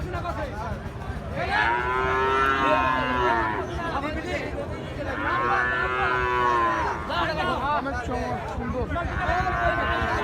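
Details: Gir and Sahiwal bull calves at Ambari cattle market, a market held on Fridays and Mondays. Three long, harmonic moos rise and fall, each lasting about two seconds, over constant crowd chatter.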